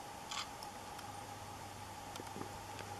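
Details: Only a steady electrical hum and a few faint clicks and ticks are heard, with no animal calling.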